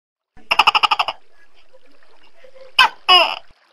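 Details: Large tokay gecko calling: a quick rattling series of about eight sharp pulses, a quiet pause, then two loud harsh barking syllables in close succession, with little other sound.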